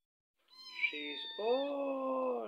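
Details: Scottish Fold kitten Emma, indoors and always following her owner, crying because she is very hungry: a long drawn-out meow lasting about two seconds, starting high and thin, then dropping into a lower, steady, wavering wail.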